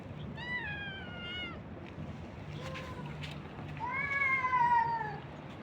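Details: Abandoned stray street cats and kittens being fed by a man. Two drawn-out meows: the first slides gently downward, the second rises and then falls, over a steady low hum.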